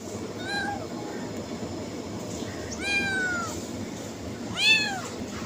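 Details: Cats and kittens meowing to attract others: three drawn-out, arching meows rising then falling in pitch, spaced about two seconds apart, the last one loudest, over a steady low background hiss.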